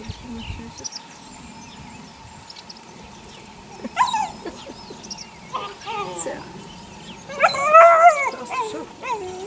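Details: Puppies, 8 weeks old, from a litter of six born to the neighbour's dog Sunny, give short high yips and whines, clustered near the end after stretches of low background noise and faint human talk.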